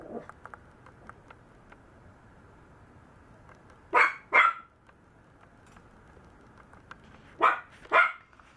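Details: Maltese puppy barking in paired bursts, two quick yaps together, then a pause of about three seconds before another pair, bright and fairly high-pitched indoors over faint background hum.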